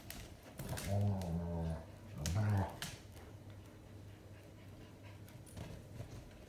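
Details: Growling during gentle play between Clinker, a five-month-old Schipperke, and Grimlock, a nine-year-old German Shepherd teaching her place in the pack, on their second day together indoors: two low rumbling growls, the first longer, the second shorter.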